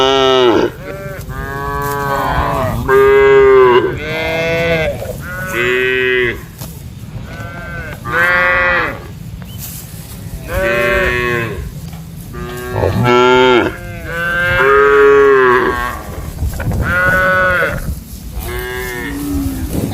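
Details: Cattle in an open grassy field, herded alongside goats and buffalo, give a run of loud, drawn-out moos, several voices calling one after another.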